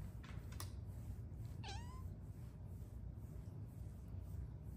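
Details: Luna, a shy Bengal cat resting on the back of a couch at home, gives a single short, soft meow that rises then dips, amid faint clicks and light room noise.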